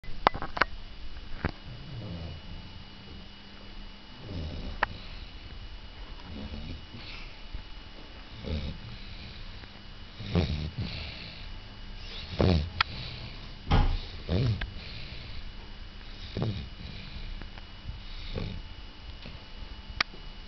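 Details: A Cavalier King Charles Spaniel, 11 years old, in deep sleep beside another Cavalier aged 8, snores in low, rasping breaths every second or two.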